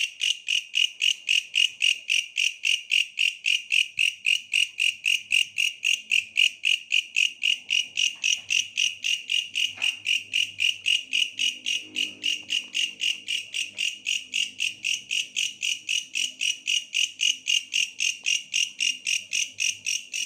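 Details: A bush cricket keeps up a long, unbroken series of shrill rasping pulses, close to four each second, metallic and ringing, holding the same loudness for twenty seconds with faint low rumbling underneath.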